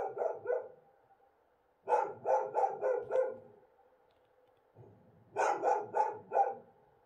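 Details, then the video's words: Night barking of wild dogs in Morocco under a bright moon, part of regular back-and-forth calling; three clusters of harsh barks, about three, five and four barks, separated by pauses of one to two seconds. "Wild Dogs Sounds of Morocco"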